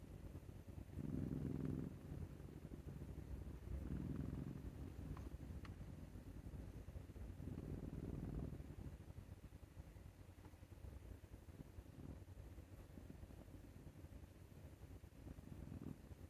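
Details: Neck scratches leave Maru, a male Scottish Fold cat born 22 May 2021, snoring like an old man: three deep rasping snores spaced about three seconds apart, then fainter, softer breaths over steady low indoor hum.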